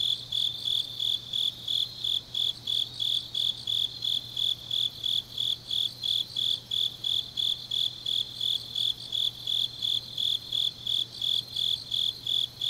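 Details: Grass insects on a deep autumn night in Changnyeong, South Gyeongsang Province, South Korea: high, ringing chirps repeated steadily about three times per second, forming an even pulsing trill over a faint low hum.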